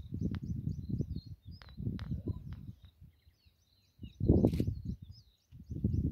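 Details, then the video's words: Cheetah at Sabi Sands, South Africa, purring in low rumbling bursts broken by short pauses, a louder swell near the end, while small birds chirp and twitter steadily overhead. "Cheetahs don't roar, they meow and purr"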